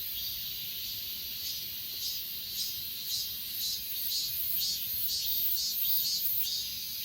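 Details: Achasan mountain grass insects, filmed on an S20 Ultra in 8K. Bright, high chirps repeat about twice a second over a dense, steady background trill of other insects.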